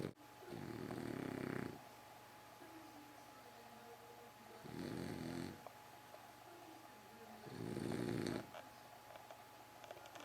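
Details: A French Bulldog snores in a steady rhythm, three coarse, rattling inhalations spaced about three seconds apart, with soft wheezy whistles in the pauses and a low background hum.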